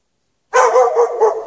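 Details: Chained out in the snow at night without shelter for several hours, a dog lets out one loud, drawn-out bark that wavers for about a second after a silent start.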